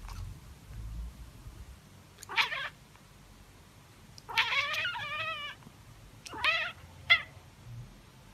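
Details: Calico cat Mieze and tabby cat Billie, two pet cats, meowing: a short rising meow, then a long wavering drawn-out meow, followed by two brief sharp meows close together, with quiet low background hum between calls.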